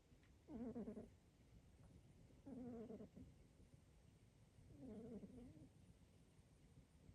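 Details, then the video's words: Snoring of a short-nosed pet cat, which a vet attributes to his short nose and considers harmless; three soft, low, rasping breaths about two seconds apart, each lasting under a second, on a quiet background. "Calvin snores"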